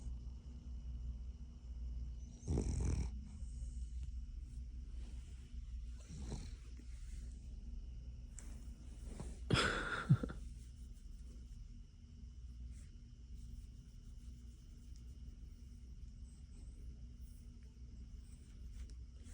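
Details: Cavalier King Charles Spaniel snoring while asleep indoors, a dog that doesn't like being woken; a few loud raspy snorts early on, then quieter breathing.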